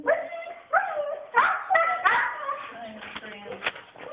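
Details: A female Siberian Husky lets out a rapid string of wavering, whining yowls that rise and fall in pitch; she acts like this on walks too.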